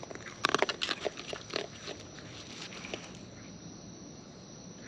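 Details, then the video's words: Close-up wild raccoon eating, with a quick burst of crisp crunching clicks packed into the first two seconds, then a few scattered soft bites before the chewing fades to quiet background. "Wild Raccoons & ASMR Chewing Sounds"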